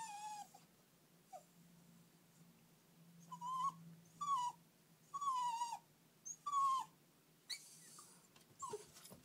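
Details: Sad puppy whimpering after its owners left for the shops: a series of high, thin, whiny cries with falling and wavering tones, some short and some drawn out, coming in irregular bursts with quiet gaps between them.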